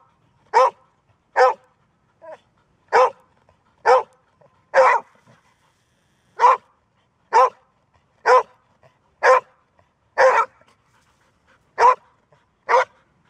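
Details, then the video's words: Golden Retriever, said to bark rarely but then with impressive persistence, barking steadily about once a second in loud, abrupt barks with short irregular gaps, over a quiet background. ""Bellen", Golden Retriever"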